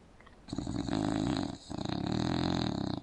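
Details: Sleeping English Bulldog snoring open-mouthed on an indoor couch: two long rasping, rattly snores, each over a second, with a short quiet breath gap between them.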